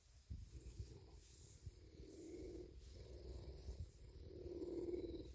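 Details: A male bobcat named Big, happy after a meal of deer meat and a belly rub, purrs continuously. The deep, fast-pulsing rumble swells and fades in cycles about once a second.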